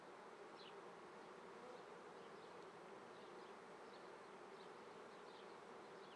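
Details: Steady, even droning of many honey bees at a Treviso apiary in Italy, morning of 22 May 2010, during the May swarming month, with faint high bird chirps scattered through the continuous hum.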